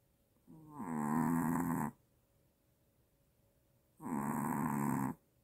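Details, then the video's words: Maltese dog snoring louder than its owner, linked to apnea: two long harsh rasping snores about three seconds apart, each lasting over a second, in a quiet room. "아빠보다 더 크게 코고는 말티즈 /무호흡증/ 코골다 놀라서 깸"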